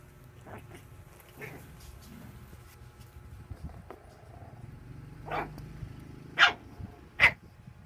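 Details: Playing puppy letting out a few short, sharp barks near the end, three bursts about a second apart after a quieter stretch with low rumbling background noise.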